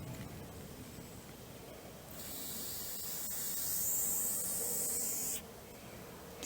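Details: An angry grass snake (Natrix natrix), handled just after its first capture, gives one long, steady, airy hiss of about three seconds. It starts abruptly, stays at an even loudness and cuts off sharply, leaving a faint background hush.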